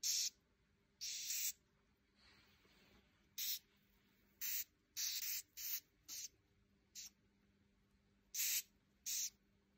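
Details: Loud hissing cockroaches giving repeated bursts of breathy, high hiss, each lasting a fraction of a second to half a second, spaced irregularly, with a faint low hum between bursts.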